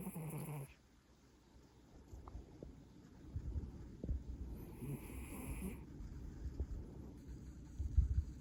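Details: Maine Coon cat snoring: a low, rumbling snore with soft rhythmic breathing. The breath noise grows stronger from the middle onward, with a brief hissy burst at the very start.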